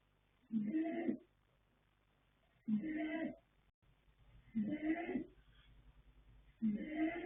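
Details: A male foal called Yanta, sired by Fast Force from the mare Pink Blossom and born 21 January 2026, snores in his sleep, giving four rough, rattling breaths about two seconds apart against a quiet background.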